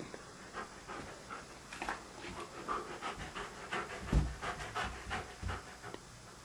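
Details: Standard Poodle, reluctant to enter a bedroom to fetch his beloved ball, pants rapidly and irregularly indoors, with quick breathy bursts of varying loudness and occasional thumps.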